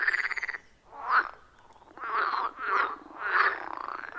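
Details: Frogs at a wild forest pond, recorded with an iPhone 14 Pro and Shure MV88+: a few separate rough, pulsed croaks about every half second to second, one rising note at the end, quiet pauses between.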